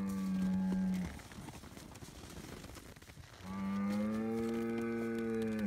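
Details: Noisy Scottish Highland bull kept on a Finnish farm, getting bread, lows twice: a steady one-second moo, a pause with rustling, then a longer, slightly rising moo held for over two seconds.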